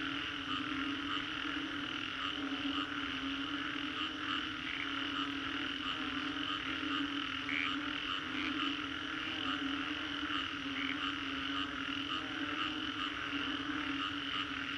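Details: Numerous frogs call in the Green Corridor, Singapore, following a storm; a continuous 3D soundscape of humming drone and rapid trilling pulses, with intermittent clear high chirps repeating across the whole stretch.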